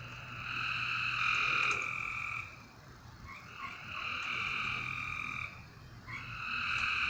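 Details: Long, drawn-out buzzing frog calls at night, each about two seconds long, with short quiet gaps between them and a low hum in the background.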